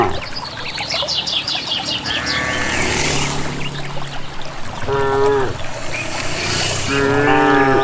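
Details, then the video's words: Village cattle, a group walking calmly to a green valley pasture without a herder, said to sound happy: several drawn-out, harmonic calls at two, five and seven seconds over footsteps and steady outdoor rustling. "suara asli khas sapi"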